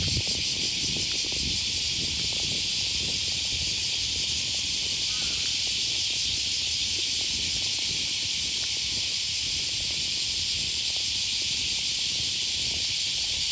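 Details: Morning cicadas by the Okawa River near Sakuranomiya Park in Osaka, August 2020: an unbroken, even, high-pitched buzzing wash that holds steady throughout, with faint low background noise.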